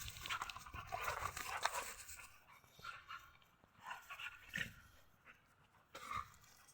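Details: A pit bull puppy plays rough with a grown white husky and gets the upper hand. Clustered whiny yelps and soft growly bursts come fast at first, then thin out into scattered single cries.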